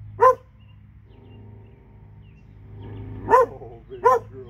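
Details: Alabama, two dogs: three sharp barks, one at the start and two close together near the end, separated by a quiet stretch with a low mechanical hum.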